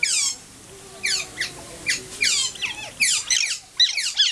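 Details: Captive Asian small-clawed otters at Wuppertal Zoo give a rapid series of short, piercing, downward-sweeping squeaks. The calls come in quick irregular bursts and overlap near the end.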